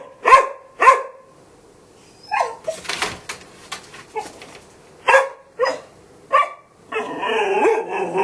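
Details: Two opening barks from a Golden Retriever, then a stretch of clattering, scuffling noise with softer yips, three more barks, and a rough sustained vocal sound at the end.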